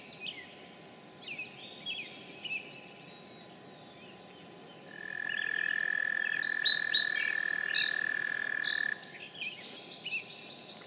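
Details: An American toad gives a long, steady, musical trill of about four seconds in Sudbury, Massachusetts, on 9 May 2013, a spring day with rain, while songbirds such as song sparrow, robin and hermit thrush chirp and warble throughout.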